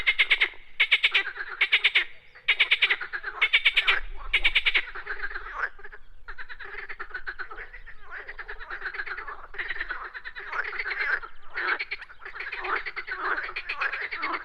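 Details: Frogs calling outdoors: loud pulsed croaks in short bursts at first, then a steadier overlapping rattle of many ticking pulses through the rest.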